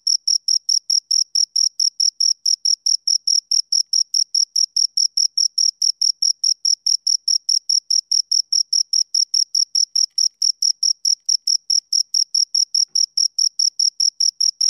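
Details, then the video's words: Two crickets keep up an unbroken, rhythmic series of sharp, high chirps, roughly two or three per second, steady in loudness and pitch, with no background noise. "Two Crickets Chirp Sounds"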